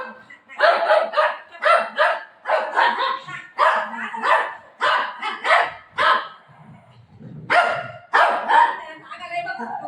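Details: Pet Golden Retriever reacting after its owner says she will leave it; a rapid series of about fifteen short, harsh barks and yelps comes in quick bursts roughly every half second, with people talking and laughing nearby.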